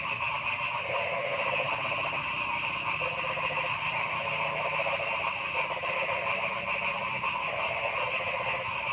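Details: Continuous chorus of frogs in a forest, with rapid rattling pulses layered over a steady high buzz and some croaks rising and fading every second or two.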